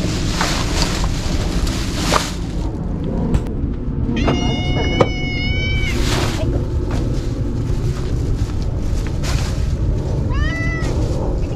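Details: Ear-tipped stray cats from a trap-neuter-return program being fed Kalkan, Sheba and Churu on a hot day. A long wavering meow sounds midway, and a short rising meow comes near the end, over steady rumbling background noise and brief clatter.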